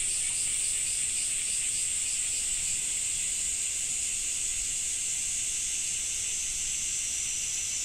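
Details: Cicadas in Japan in summer drone in a continuous high, hissing buzz that pulses slightly, with soft rain beneath.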